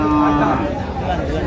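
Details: Thin dairy cows at Ambari cattle market in Dinajpur, Bangladesh, on 8 August 2025: a short, steady low moo at the start, set against constant crowd chatter and traders' voices.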